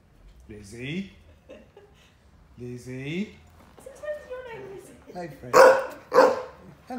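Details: Pushy Ridgeback Staffy cross dog at home trying to get a Saluki Lurcher housemate to play; drawn-out grumbling whines that rise and fall, then two loud sharp barks close together, a person's voice nearby.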